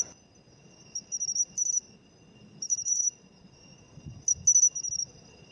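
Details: Matsumushi, the pine cricket, singing in autumn, a species said to be declining in cities; short bright high-pitched chirps in paired bursts, a quick 'chin-chiro-rin', repeated roughly every one and a half seconds, with a faint steady high hum and low background rumble.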